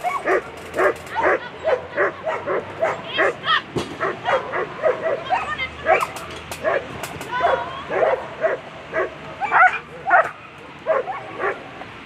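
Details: German Shepherds at a world championship agility competition; rapid, repeated sharp barks in quick bursts, roughly two to three per second, over a noisy arena background with crowd voices and occasional whistles or calls.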